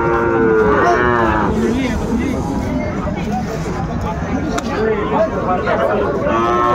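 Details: Sahiwal bull calves for sale at a cattle market in Dhaka, Bangladesh, 20 January 2025. A strong, ringing moo opens, then comes busy market chatter, and a second moo near the end; background music is faintly present.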